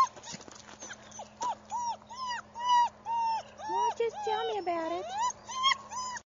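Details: German Shepherd puppy whining insistently: loud, tonal, rising-and-falling whimpers repeated about twice a second, some sliding into longer wavering cries, with a person's voice briefly heard alongside.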